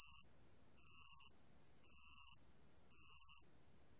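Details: Brief stretch of bell cricket song, recorded in 2020 by the National Institute of Biological Resources, with four shrill, ringing bursts each lasting about half a second, spaced roughly a second apart.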